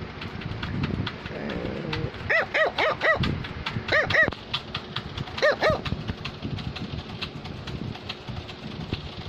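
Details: Cavalier King Charles Spaniel barking while wanting to tell its owner something: a cluster of four quick barks, then two more, and a final pair, over a low rumbling background.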